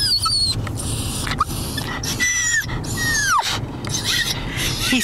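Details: Kobe, a Pomeranian, crying with excitement while riding toward the dog park: high, thin whines in bursts, several sliding downward, with a steady vehicle rumble underneath and a person talking to him.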